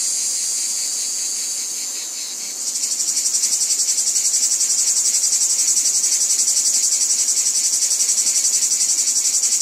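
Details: Cicadas calling from a wheat field: a softer, smoother high buzz for two and a half seconds, then a louder, strongly pulsed shrill chorus beating in a regular rhythm.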